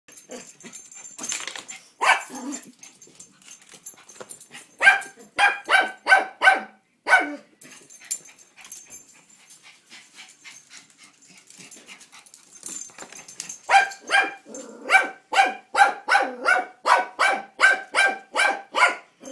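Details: Toi, a pet dog, barking at the mail man: scattered yips early on, then a run of about six sharp, harmonic-rich barks near the middle and a longer burst of roughly a dozen rapid barks to finish.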